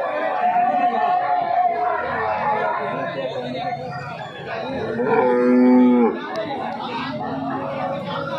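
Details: Cow at the weekly Sunday cattle market in Jarua near Hajipur, Bihar, during days of heavy rain: one drawn-out, low moo rises out of the busy chatter of a crowd of men talking, then fades back into the voices.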